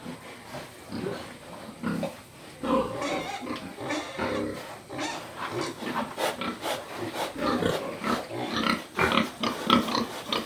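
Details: A pig grunts and snorts almost continuously, producing dense, rasping low sounds broken by sharper clicks and snuffles that grow louder toward the end.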